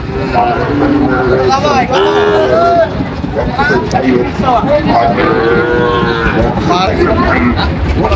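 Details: Several Sahiwal cattle, including young animals around ten months old, call over one another at a crowded Barishal market on 21 July 2025: repeated overlapping moos, some wavering, under constant talk and a vehicle.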